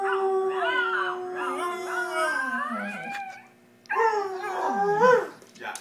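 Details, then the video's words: Pet dogs Shanty and Yuna howling in sustained, gliding notes that dip and fall, a brief pause near the middle, then a fresh rising howl that swells before trailing off. "Dogs howling funny"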